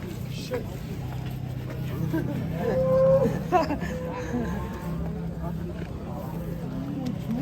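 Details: Angry cow being unloaded from a truck, Indonesia. A long, low, drawn-out moo holds steady for several seconds, rising briefly in the middle. People talk and call out throughout, over a background hum of vehicles.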